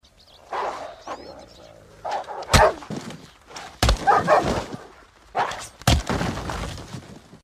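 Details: Husky giving short, harmonic bark-like vocal bursts in irregular bouts, broken by several loud, sharp thumps and crashes.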